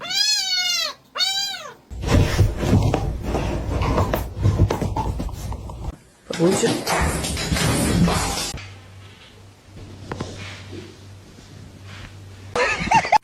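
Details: A cat meows twice in quick succession, each call rising then falling in a long wavering arc, before music, laughter and people talking take over.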